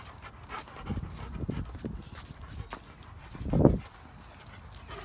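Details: German Shepherd Odin with neighbouring yellow Labradors Remington and Hannah and black Lab Midnight, once a starving stray; soft grumbling dog sounds, then one loud low throaty burst past the halfway point, amid rustling noise.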